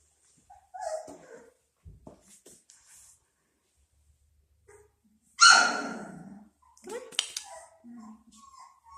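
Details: Brown, a female Golden Retriever puppy, gives a short high whine, then after a quiet stretch a loud sharp bark, followed by a few softer yelps and whimpers; a person talks briefly between the sounds indoors.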